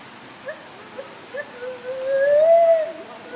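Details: A few short soft notes lead into one long gliding hoot that rises and holds before fading, from gibbons clambering effortlessly from branch to branch.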